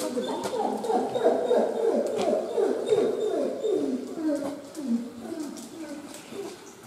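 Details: Scared wolf at Tama Zoological Park in Tokyo, Japan, giving a rapid series of short, falling whimpering yelps, several per second, loudest early and fading toward the end, with faint background noise.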